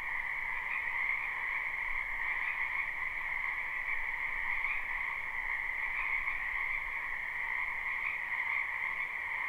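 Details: Many wild frogs croaking in a wetland behind a house in spring, captured live: a dense, unbroken chorus of trilling pulses with a steady two-tone hum, middle and higher pitched, holding even throughout.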